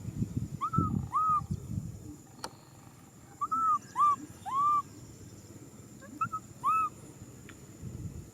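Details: Baby macaque crying out for a hug: short, arched, whistle-like cries, mostly in close pairs, with two bursts a few seconds apart, over low rumbling handling noise and a steady high hum.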